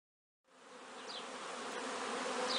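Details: A steady hum of many honey bees swells gradually in loudness, possibly young bees making an orientation flight around the hive on a warm, clear day between noon and 3 pm.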